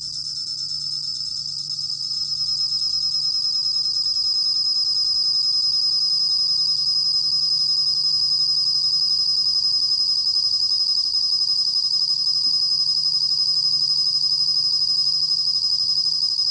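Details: A bell cricket (Korean 곰방울벌레), recorded in 2020, holds a continuous, high-pitched, metallic trill; the pulses merge into one unbroken ringing tone over a faint low hum.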